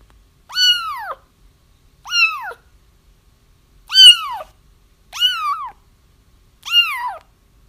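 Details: Crying kittens meant to lure a feral mother into a trap, five loud arching mews with bright overtones, each sliding down at the end, spaced about one and a half seconds apart in a quiet room.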